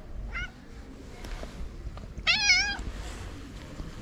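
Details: Street-living calico cat from Morocco, marked by a black spot on the nose: a brief soft mew, then a louder, drawn-out wavering meow midway, over quiet background noise.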